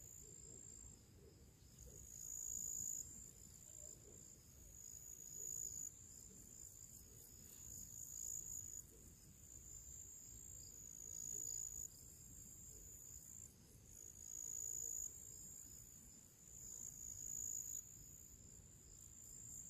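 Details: Crickets and other small creatures singing their pre-evening song in summer among purple flowers: a steady, high-pitched continuous trill with rapid pulsing, swelling and fading in loudness, over soft low outdoor rumble.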